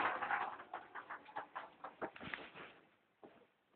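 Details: Pet ferret Mimiko, a female, playing with plastic balls: a run of soft, rapid clucking pulses, about three or four a second, that gradually fade, then one last burst after a short pause.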